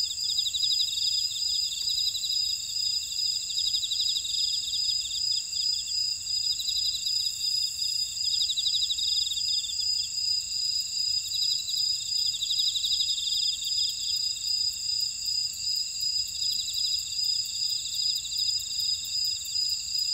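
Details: Unbroken shrill insect chorus from a buckwheat field at Ora-dong, Jeju City, Jeju Island, South Korea, mixing steady high whining with a continuous rippling trill at constant loudness throughout.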